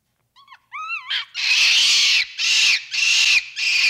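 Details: Capuchin monkey opening with two brief rising whistles, then breaking into loud, harsh, drawn-out screeching bursts, about four of them in quick sequence.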